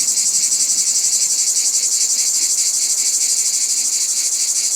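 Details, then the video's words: Cicadas buzzing in nature, a strong high shrill hiss that never stops, pulsing rapidly and evenly throughout, with no other sounds. "Cicada sounds in Nature"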